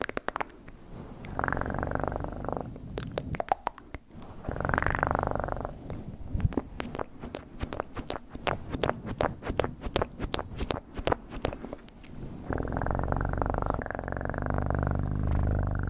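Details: ASMR recording of a purring cat: bursts of deep, rhythmic rumbling purr separated by a long run of dense crackling clicks, with the purr returning strongly at the end.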